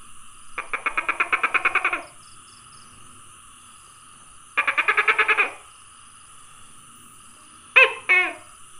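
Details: Tokay gecko on 27 May 2020 gives two fast, even rattling series of rapid pulses, the first about one and a half seconds long and the second shorter. These are followed by a two-part croaking call, all over a steady background hiss.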